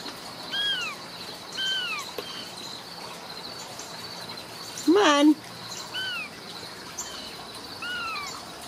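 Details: Home-raised Ragdoll kittens from a central Kansas cattery mew again and again, roughly once a second: short, high, arched cries that fall at the end. A woman's brief coaxing words break in midway.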